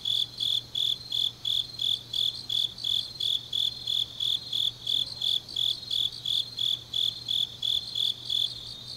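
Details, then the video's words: Night chorus of autumn grass insects in Changnyeong, South Korea: a steady run of about twenty-three bright, high-pitched chirps, evenly paced near three per second, with fainter insects trilling behind and a low constant hum. "깊은밤 가을 풀벌레 소리"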